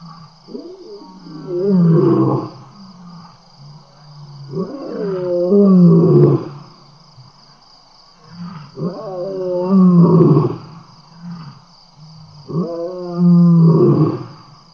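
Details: Lions, seven of them, at a wild camera site in Tembe around 6 PM in April, well fed and playful near the microphone: deep rumbling growl-roars in four bursts about every four seconds, harmonic and low, with a steady background hum.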